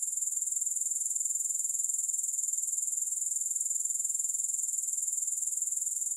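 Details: Unbroken high-pitched grasshopper buzz with fine, evenly spaced pulses at a constant level for the whole stretch, with nothing else audible.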